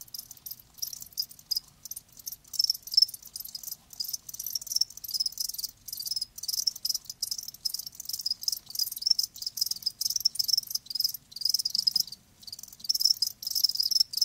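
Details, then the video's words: Crickets, live, giving dense rapid high chirps, pulses packed in continuous bursts broken by brief pauses. "Live Crickets 60min "Natural Sound""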